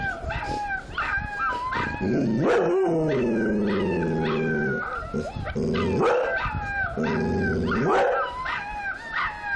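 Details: Puppies howling in a chorus of high quavering notes, joined by a deeper, louder dog howl that swells in long drawn-out bursts over the puppies' thin wavering cries.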